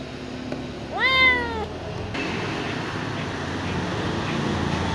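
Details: A small ginger cat offered milk gives one clear, rising-then-falling meow near the start, followed by several seconds of steady low background noise with no further calls.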